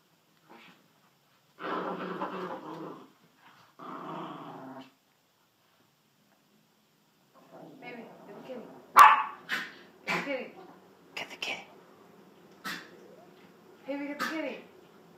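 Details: Dachshunds Sausage and Weenie at home: two long, rough growling bursts open the recording, then a short gap, followed by sharp barks and yelps mixed with a person loudly urging one dog to get the kitty.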